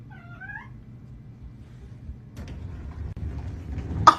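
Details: Kitten gives a single short, clear meow lasting under a second, its pitch dipping slightly then rising, followed by quiet low room rumble and a sharp click at the very end.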